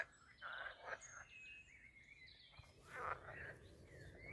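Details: Frogs in mating season, with males clasping females in amplexus, croak in rough, chattering bursts at a pond on a castle estate garden near a forest in Posterholt, Netherlands, with thin bird whistles behind.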